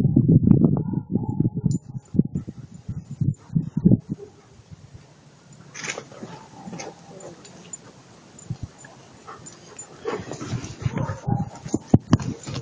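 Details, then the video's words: Attila ot Salmoxis, an eight-month-old German Shepherd puppy, gives a dense burst of low, rough vocal sounds in the first seconds. Quieter whimpering follows, with scattered knocks and human voices in the background. "Attila ot Salmoxis 8 months old German Shepherd puppy"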